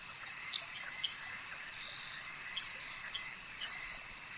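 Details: Frogs calling at a lake at night, short bright chirps popping out roughly twice a second above a dense, steady high-pitched chorus that also carries insect trills, with no wind, water or human sounds.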